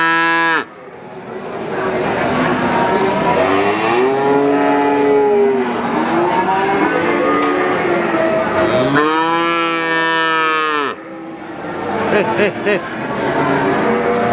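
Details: Calf moos over a background of several other lowing calves; two prominent arched, harmonic bawls, the second louder and clearer, separated by overlapping softer moos.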